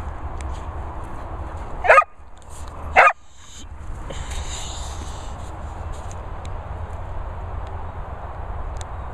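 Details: English Springer Spaniel named Holly Berry giving it large: two sharp, loud barks about a second apart, followed by a soft hiss and a faint high whistling tone in the background.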